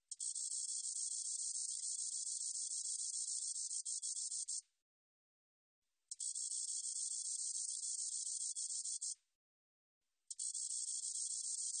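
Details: A Spotted meadow katydid, recorded by the National Institute of Biological Resources in 2020, gives a steady, hissing, high-pitched buzz in long bursts of three to four and a half seconds with short silent breaks between them, in a clean recording.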